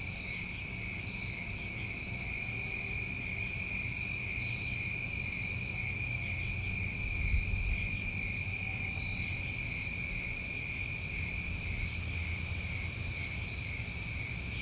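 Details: Summer crickets recorded in New England form a continuous shrill chorus of overlapping trills at several pitches, never pausing, with a few sharp ticks high above and soft low rumble beneath.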